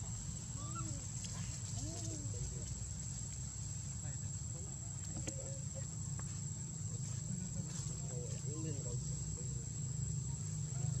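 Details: Baby monkey Lucie, crying after losing her mother Luna: short arched, wavering wails with stacked harmonics, in scattered bursts near the start, middle and end, over a steady low rumble and a constant high whine.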